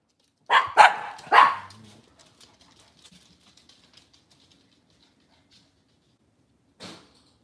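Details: Cavalier King Charles Spaniel indoors on a breeder's kitchen cam, cloudy Monday morning: three fast barks in a burst, then faint clicks and rustling, and one more short bark after a pause.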